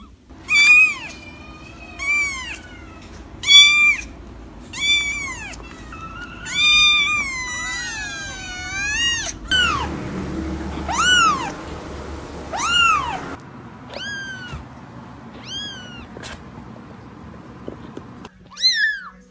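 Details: Persistent kitten meowing: a long run of sharp, high, rising-then-falling mews repeated every second or two, one drawn-out wavering call near the middle, and a faint steady background hum.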